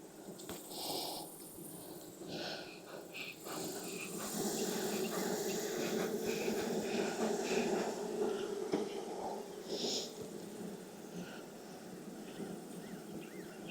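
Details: Honey bees droning at an opened Texas beehive on a hot day after heavy rain, the hum swelling in the middle, mixed with breathy puffs and occasional sharp handling clicks.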